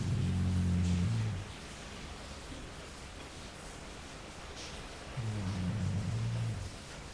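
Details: Sleeping Labrador Jully gives two deep, buzzing snores, each about a second long and roughly five seconds apart, with near-silent pauses between them.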